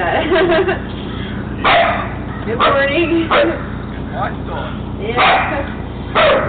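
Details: Three-month-old German Shepherd puppy barking after spotting a man coming out of the woods: loud, harsh barks in irregular bursts roughly every second or so, with human talking mixed in between.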